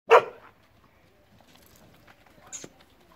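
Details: A Gaddi dog, a Punjabi herding and guard breed, in Punjab, gives one short sharp bark at the start, followed by quiet with faint background sounds and a brief high click near the end.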